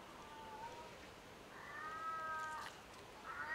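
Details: Ring-tailed lemurs on the Ring-Tailed Lemurs' Island at Opole Zoo, Poland: three drawn-out, tonal, harmonic meow-like calls, the second longest and steady, the last shorter and rising, over soft background noise.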